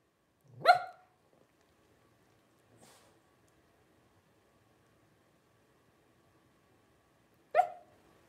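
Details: Blenheim Cavalier King Charles Spaniel puppy, one of a litter of five aged 12 days, born to Paris and Spike at New Year's 2023; a single sharp yelp opens, a faint click follows, then a long quiet gap before a second yelp.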